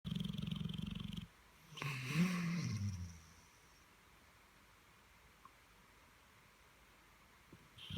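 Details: A Dogue de Bordeaux asleep after a busy bank holiday weekend snores in a low, fast pulsing rattle for about a second, followed by a brief rumbling groan, then near silence.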